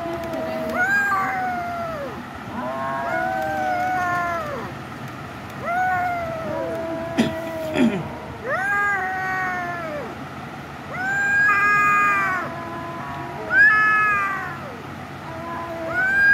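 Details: A cat meows persistently in a series of arched, tonal calls. Some are short and some are stretched, spaced one to two seconds apart. A sharp click sounds midway, over faint background hum.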